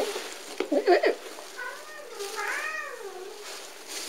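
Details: Wispa, a lively, bright little male shelter cat at a north London adoption centre who calls for company, gives soft rising-and-falling meows with a sweet voice, after a short burst of handling noise and a woman talking to him indoors.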